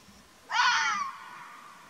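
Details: A wild Arabian (mountain) fox in Oman gives a single harsh, wavering cry that falls slightly in pitch.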